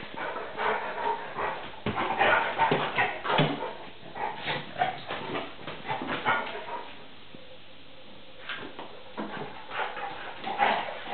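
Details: Mock-fighting play between NooNoo the pointer and Tarka, a 3½-month Vizsla puppy: rapid growls, yips and barks tumble together for several seconds, pause briefly, then resume in louder snarling bursts.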